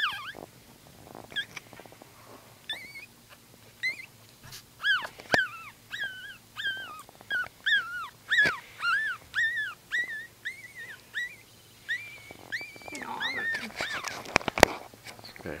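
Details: Tiny newborn Brussels Griffon puppies give a few scattered squeaks, then a steady run of high arched whimpering squeals from about five seconds onward, with soft rustling and handling clicks in the background.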